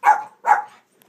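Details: Pet dog barking on command, one of several dogs at home: two quick, rough barks in rapid succession about 0.4 seconds apart, fading into quiet.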